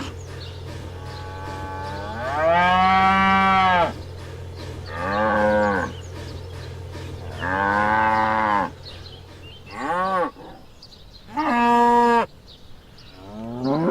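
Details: Cows, black and white cattle kept on a farm, give loud harmonic moos: a long low call near three seconds, then shorter rising and falling moos at about five, eight, ten and twelve seconds, over a steady low hum.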